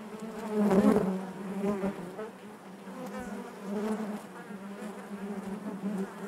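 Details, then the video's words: Honey bees inside the hive produce a thick, low buzzing hum that surges loudly in the first second, then settles into a softer, wavering drone with light crackles. "bees therapy hive natural buzzing sound"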